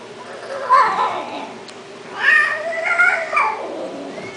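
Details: Himalayan cat making two or three wavering, mid-pitched meows, the later one stretched and broken, over a constant background hiss.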